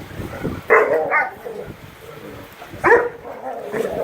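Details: Rough play among Great Dane puppies, with two sharp bark-yelps nearly two seconds apart separated by quieter scuffling and low grumbling.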